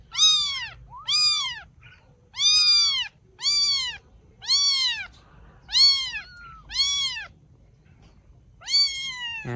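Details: Rescued baby kittens in Vietnam, cared for by their rescuer: a run of eight loud high meows, each rising then falling, repeated about every second with short pauses between.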